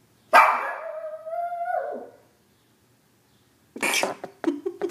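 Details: A Shih Tzu howls: one long, steady, mid-pitched wail lasting nearly two seconds that bends downward at its end, followed after a pause by several short, choppy yelps and barks.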